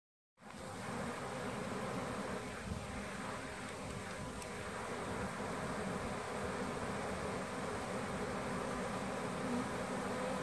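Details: Honey bee swarm, part of the Surgergrove Swarm, draping from a small branch into a hive box where the queen already sits; a steady, dense, low humming drone with a band near 200 to 500 cycles holds throughout without pause.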